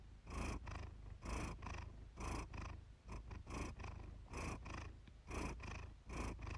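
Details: Pet cat Iris purring contentedly, captured by chance one evening. A deep, vibrating rumble rises and falls with each breath, roughly once a second, with soft airy noise on every pulse.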